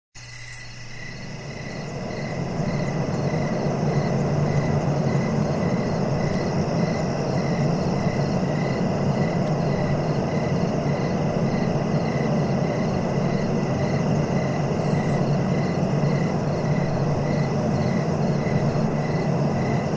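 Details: Crickets chirping in a steady rhythm of short pulses, roughly three to four per second, rising in over the first seconds beneath a loud, constant low rumble like wind or distant traffic, with a few brief faint high hisses.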